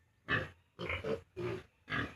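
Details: Four rough, broadband grunts in an evenly spaced series come from 32-day-old farm piglets shortly before weaning from the sow, with a litter now down to a few after losses.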